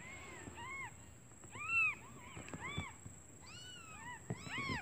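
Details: Newborn kittens calling for their mother because they are hungry while she is away finding food; thin arched mews, several overlapping, quieter and scattered, with some background noise and a steady high tone.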